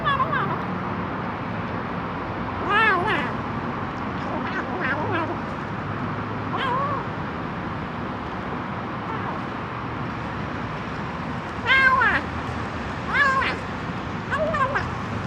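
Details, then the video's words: Hungry kitten making strange calls: short high meows with rising-falling arcs in bursts near three, five, seven, twelve and thirteen seconds, over steady background hum and low traffic-like noise. "Anak kucing lapar keluarkan suara aneh!"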